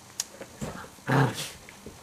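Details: Puppy giving a short low growl, one rough burst in the middle over quiet background noise with small clicks.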